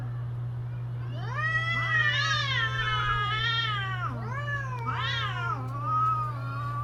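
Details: Cats during mating season yowling in long, wavering, rising and falling wails, several overlapping drawn-out cries with a steady low hum underneath.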